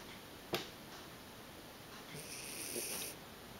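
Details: Lily, a sleeping Bolognese dog, snoring indoors: a sharp sniff-like click early on, then a single breathy, hissing snore lasting about a second, over a quiet room background.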